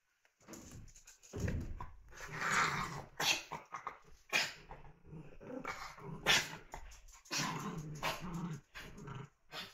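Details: Playing puppies growl and yip in an indoor room, with rough, throaty play growls coming in repeated bursts of a second or so, plus sharper bark-like yelps amid scuffling and rustling.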